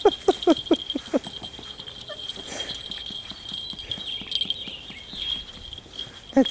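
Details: Six-week-old puppies wrestling with collars worn for the first time, filmed 28 June 2011: a quick run of high yips fills the opening second, then soft repeated ticking, with a person talking and laughing nearby.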